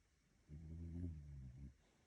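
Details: A Shiba Inu snoring: one low, rough, droning breath lasting about a second and a quarter, with layered buzzy tones, in an otherwise quiet room.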